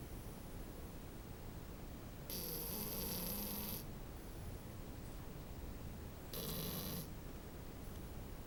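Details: French Bulldog puppy snoring, two drawn-out hissing snores about four seconds apart, with a slight wheezy tone inside each breath, otherwise quiet.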